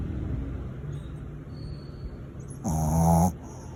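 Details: Shirley, a small mixed Shih Tzu, snores loudly while asleep: low rumbling breathing, then one louder, harsh, buzzy snore lasting about half a second near the end before a quieter breath returns.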